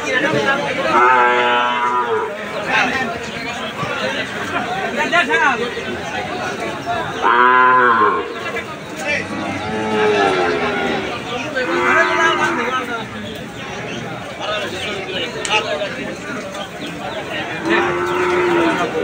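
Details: Calves and cattle at a livestock market in Aricha, mooing in several drawn-out, rising-then-falling calls with strong banded harmonics, one loud long moo near the middle, over constant crowd chatter and market noise.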